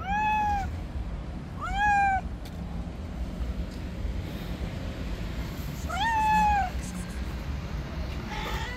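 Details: Stray cats on the street contesting an angry white cat's territory; three loud, arched meows, each under a second and spaced a few seconds apart, with a faint fourth at the end over a low background rumble.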